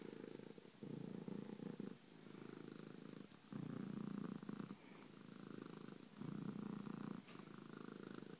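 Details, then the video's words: A pet cat called Bronco purring loudly, its low vibrating rumble rising and falling in about four long breath cycles with brief gaps between. "Bronco Kitty loves to Purr and man is he loud!"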